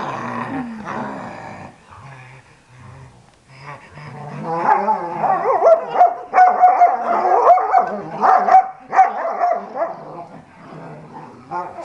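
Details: Pet dogs playing together: rough, rumbling growls and short yapping barks tumbling over one another, a thin high whine running through the middle stretch, and a brief human exclamation near the start.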